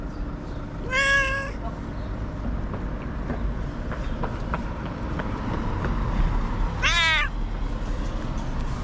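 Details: Angry white cat lets out two short, harsh, strongly harmonic yowls about six seconds apart, each bending upward then down, over constant low rumbling noise.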